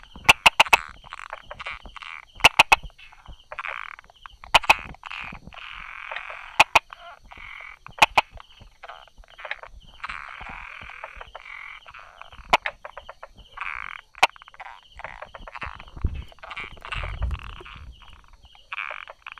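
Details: Brauer's tree frog calling from rock crevices beside small grasses on 22 July 2016, 10:44 am; repeated rasping, clacking calls sound almost continuously, punctuated by sharp knock-like clicks, over a constant rhythmic pulsing buzz in the background.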